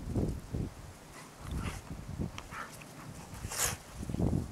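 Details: Two Giant Schnauzers, an adult and a five-month-old pup, play outdoors in deep fresh snow during the pup's first real winter. Short, low, muffled woofs come at the start and again near the end, with soft rustling and scuffling in between.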